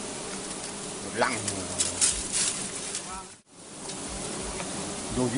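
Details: Wild honey bees during wild honey harvesting: a dense, continuous droning buzz with wavering tones, over rough rustling and handling noise. The sound drops out briefly near the end, then the buzzing resumes.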